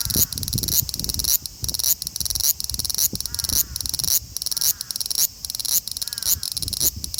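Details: Large brown cicada, a male, in Osaka city, Japan, 5 August 2019, captured on an Xperia XZ1 phone; harsh, shrill sizzle throbbing in regular surges about every half second, with faint low knocks underneath.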